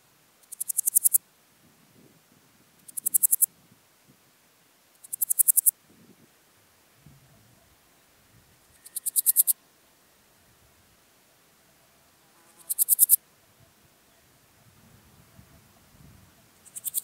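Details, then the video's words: Styrian Golden Grasshopper (Podismopsis styriaca) singing on Zirbitzkogel, Austria, on 5 September 2019, captured with an ultrasound detector: short bursts of dry rasping stridulation, each under a second, repeated every two to four seconds over faint rustling. "Podismopsis styriaca -- Steirische Goldschrecke -- Styrian Golden Grasshopper"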